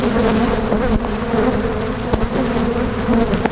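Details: Angry Africanized honey bees swarming during honey removal from a colony, a dense steady droning hum with a low tonal band, broken by a few sharp knocks.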